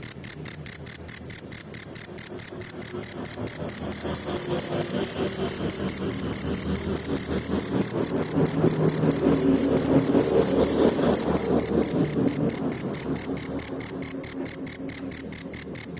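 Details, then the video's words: Continuous rapid chirping of a forest cricket, high ringing pulses at a fast steady pace, with a soft low rushing background that swells midway. "Suara Jangkrik Hutan"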